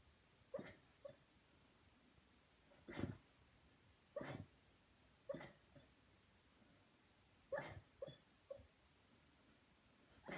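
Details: Sleeping Beagle named Junior barks while dreaming: short, hushed, stifled woofs, sometimes doubled, recurring every one to two seconds in a still indoor setting.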